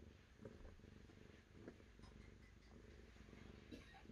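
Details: Continuous deep purr from a cat, an even low rumble with faint pulsing and a few soft clicks scattered through.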